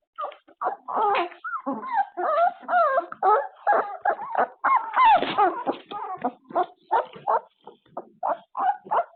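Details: Puppies waking from an afternoon nap, caught on a surveillance camera: a steady stream of high whimpers and short yips, several per second, some rising and falling in pitch, with barely a pause.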